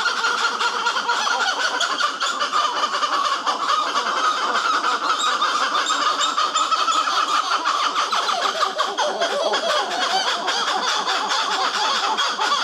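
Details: Black-fronted titi monkeys vocalizing during an encounter at the Caraça reserve, Brazil; a loud, dense, unbroken chorus of overlapping calls with a steady pulsing texture that continues throughout.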